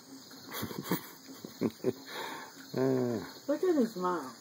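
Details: Boston Terrier puppies whining in a series of wavering, harmonic whimpers that rise and fall in pitch, with short thumps and a voice in the background before them.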